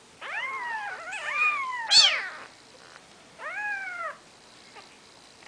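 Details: Maine Coon kittens on their fourth day of life, with their mother: overlapping, piercing mews and one sharp, shrill squeal, then a single clear arched cry after a pause.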